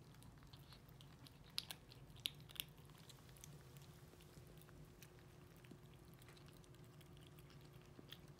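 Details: Four 8-week-old kittens named Racecar, Pip, Hannah and Tunanut, kept indoors in Greenville, South Carolina, crunching and slurping canned cat food and kitten kibble: soft, irregular clicky chewing with a few sharper crunches against a low room hum.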